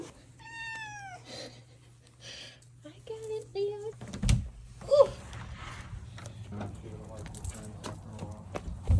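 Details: Ragdoll cat heading out for a walk in a harness: two or three short meows in the first few seconds, then a person talking, rustling and thumps of handling, with a low hum throughout.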